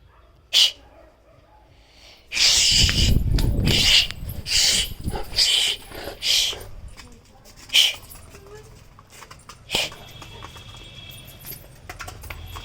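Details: A 7-month-old Rottweiler puppy gives its first heavy barks, a run of deep, gruff barks, with a person speaking nearby. Finding: Rottweiler.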